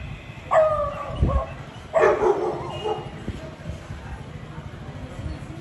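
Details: A Beagle calling out to a Labrador gives a tonal, yelping bay followed by a harsh, throaty bark.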